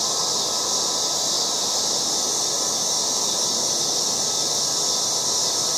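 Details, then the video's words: Yard cicadas in August produce a loud, continuous shrill buzz, a shimmering wall of sound with a constant level from start to finish; a softer background hiss lies beneath and nothing else stands out. "LOUD AUGUST YARD CICADAS"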